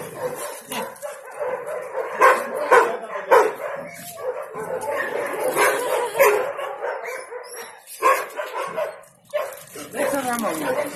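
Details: Galgo Español rescue dogs Ramona, Romana, Sombra and Quack playing together in a patio; repeated sharp barks and yips come in irregular clusters, roughly a hundred a minute, mixed with growly play noises and occasional human speech.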